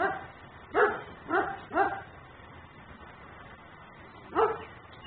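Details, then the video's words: Dog left outside and barking as a neighbourhood nuisance, filmed by a home camera: short sharp barks, three in quick succession around the first two seconds, then a pause and one more bark, over low background hiss. "Barking dog no one hears.......but me"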